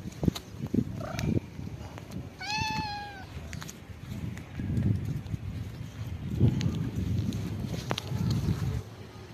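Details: Homeless cat receiving a head massage lets out one short, bright meow with a slight downward bend, preceded by a faint squeak, amid steady low rustling and handling noise through the rest of the recording.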